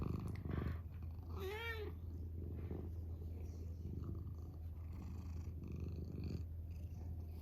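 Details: Male pet cat purring indoors: a steady, deep, rumbling purr throughout, broken near the start by one short, tonal, rising-then-falling meow.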